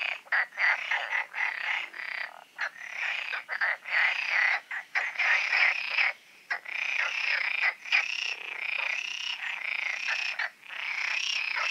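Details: Frog chorus at night in the Oasis ponds, recorded before the full moon: dense overlapping croaking and trilling from many frogs, bright rattling pulses stacking continuously with brief gaps, no other clear sounds.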